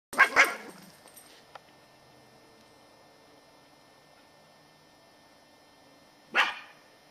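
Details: Katie, a 10-year-old female Scottish Terrier, on squirrel patrol in November 2008: two quick sharp barks right at the start, then a long quiet stretch before one more single bark near the end.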